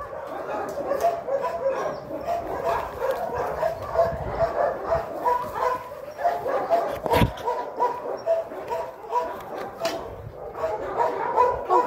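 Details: Fedya, a dog at the Sirius animal shelter in Kyiv Oblast, barks to invite play, kept company by Ryzhulya; a rapid run of short, mid-pitched barks, about one every half second, with a sharp knock near the middle.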